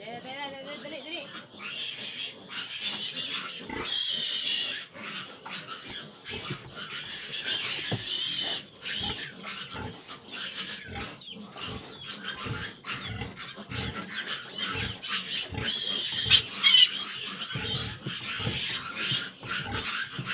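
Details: Litter of fifteen grown piglets at a sow having trouble nursing them; constant chorus of shrill squeals and grunts in rapid irregular pulses, a person's voice briefly audible at the start.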